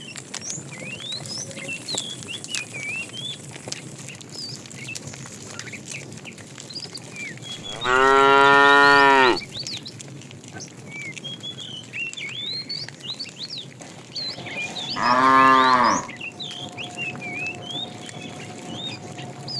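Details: Afternoon herding of a tame cow herd, with a fat cow calling the female: two moos about seven seconds apart, the first longer and fuller, the second shorter, amid busy chirping birds.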